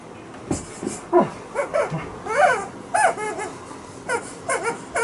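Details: Alaskan Malamute making funny noises: a run of short whining yips and arching, wavering 'woo' calls, rising and falling in pitch, about a dozen bursts in quick succession, indoors with no other clear sounds.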